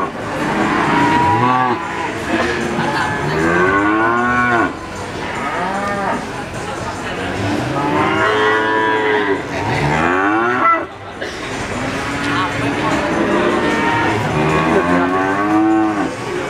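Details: Crossbred Simmental calf bawling repeatedly, with frequent arched, wavering moos that rise and fall in pitch and often overlap, nearly continuous over sixteen seconds with a short break near the middle.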